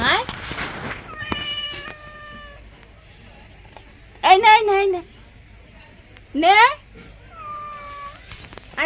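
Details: Domestic cat crying out while being bathed at home, upsetting the mother; two loud, drawn-out wavering meows that rise then fall, with softer steady whines between and a woman talking in Bengali throughout.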